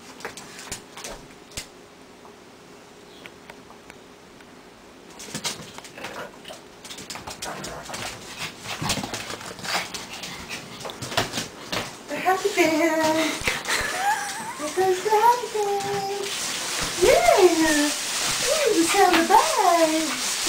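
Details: June, a female Pug/Boston Terrier mix, whines because she wants a walk. Wavering, high-pitched whines rise and fall in quick, repeated bursts through the second half. Before them come quiet room noise and clattering knocks.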